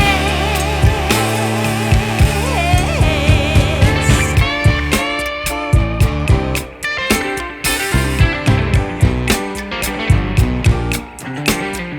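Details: Guitar-led music with a steady plucked rhythm and sung notes plays throughout, and no animal voice can be picked out.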